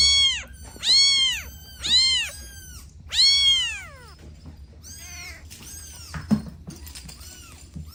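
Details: Domestic kittens playing with their mother and two siblings utter loud, high, arching meows, four strong calls roughly once a second, then softer, overlapping mews and a brief click near the end.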